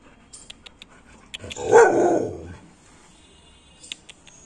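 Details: American Pit Bull Terrier giving one loud, deep, rough bark of about one second, described as aggression, with faint clicks and a high thin hiss in an otherwise quiet background.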